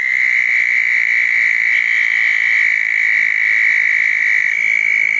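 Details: Southern toads calling at a pair of small dug ponds on a wet night after a thunderstorm, June 10, 2014; a steady, unbroken high trill holds one even pitch throughout, with fainter overlapping trills above.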